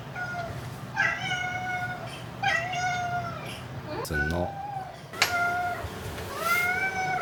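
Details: Indoor house cat giving several plaintive meows with a steady pitch, one cluster interrupted by a brief rattling noise, over a constant low background hum.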